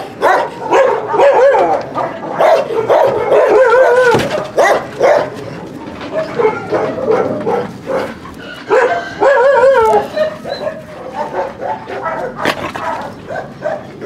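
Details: Dogs at a husky kennel during a visit by the dog Trigger for recall training from free play: dense, overlapping yelping barks with tonal, wavering whines, nearly continuous, with brief quieter gaps.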